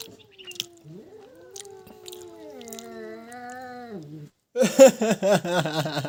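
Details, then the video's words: Fight between a pet cat and a stray cat: a long rising-then-falling yowl, followed by a loud, rapidly wavering caterwaul with pulsing shrieks. "Stray Cat Fight With Pet Cat Just Loud Meows"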